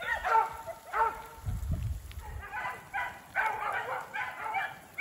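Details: Beagle baying while running a snowshoe hare in a snowy block of woods with sleet turning to rain; ragged, overlapping bays from the hounds, with a low thump of handling noise in between.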